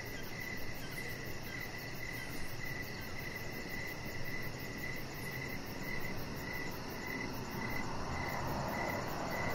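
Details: Crickets chirping in the evening outside by a deck; evenly spaced, bright chirps continue steadily while a broad low background rumble swells slightly toward the end.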